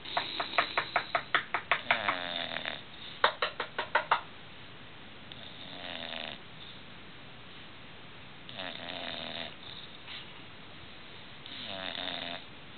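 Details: Sleeping English bulldogs snore loudly in a burst of rapid, rasping pulses, then settle into slower breaths.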